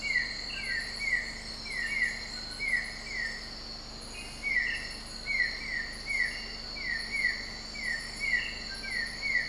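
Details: Broad-headed frog recorded in Sabah, Malaysian Borneo: short sweeping chirps near the same pitch, given in quick clustered runs with brief pauses between bursts, over a steady high insect drone.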